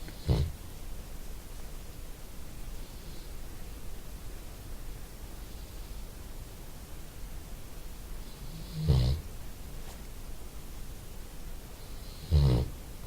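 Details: Lazy dog snoring while resting after doing nothing: three low, rumbling snorts near the start, around nine seconds and near the end, with quiet stretches between them.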